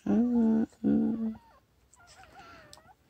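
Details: Newborn puppies giving two loud, strongly harmonic crying squeals that hold a steady pitch, followed by a fainter wavering whine in a quiet room.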